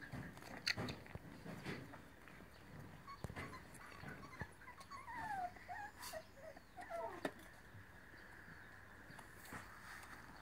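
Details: Scottish Terrier puppy giving a short run of thin, high whimpers, each sliding downward, clustered in the middle of the recording, with scattered clicks and knocking noises around them.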